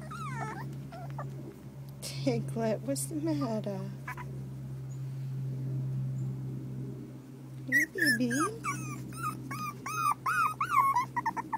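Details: Whining four-week-old terrier puppies from the Maeve litter: drawn-out falling whimpers at first, a quieter stretch with a steady low hum, then a quick burst of high arched yelps repeated several times a second.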